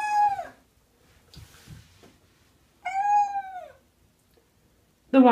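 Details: Cat refusing a bath, giving two separate drawn-out meows that slide slightly downward, with quiet gaps and faint splashing between them, and a short sharp cry at the end.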